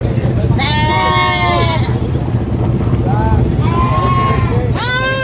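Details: Baby goat screaming on a farm: loud, wavering, nasal bleats, the first long and falling, then a shorter cry and a rising one that cuts off, over a steady engine rumble.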